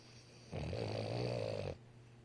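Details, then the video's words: Boston Terrier, a male pet dog, snoring as he falls asleep: one rough, rattling snore lasting just over a second, a low buzzy rumble with a steady pulsing texture, starting and stopping abruptly against quiet room hush. "My boston Terrier snores when he fall asleep.."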